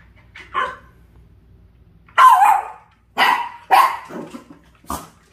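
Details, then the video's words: A Dachshund, on seeing a puppy wedged beside an air conditioner, lets out a short yip and then a run of five sharp, ragged barks spaced irregularly, roughly a second apart, over faint background hum. "에어컨 사이 낀 강아지를 본 닥스훈트 반응?"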